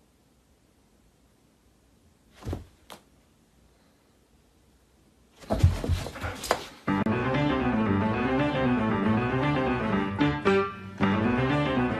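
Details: Two soft thumps in near silence, a burst of clattering noise, then loud plucked guitar music with a rocking bass pattern; no animal voice stands out.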